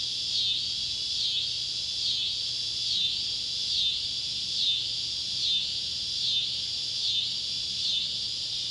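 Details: At sunset on July 31, 2013, beside an old tobacco barn in Ballard County, Kentucky, Neotibicen pruinosus and Neotibicen tibicen cicadas call: loud, high buzzing rising and falling in regular pulses a little under a second apart, against a faint low hum.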